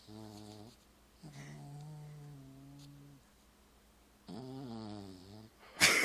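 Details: Pet dog asleep indoors at bedtime while people watch a Christmas film: long, low droning snore tones rich in harmonics, one short, one lasting about two seconds, another a second long, separated by pauses, ending with a sharp noise.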